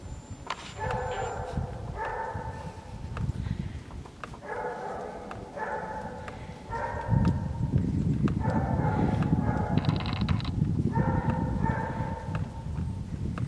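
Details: Golden Retriever puppies, six and a half weeks old, playing in the snow: short harmonic whines and yips in bursts about every second, overlapping, with steady low rumbling and scuffling underneath.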